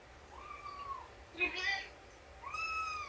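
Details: Cat meowing indoors on the morning of 2017-09-24, during nursing and play time with Shelby, an abandoned mother cat of about two, and her roughly three-month-old kittens. Two drawn-out, slightly falling meows with a brief human voice between them.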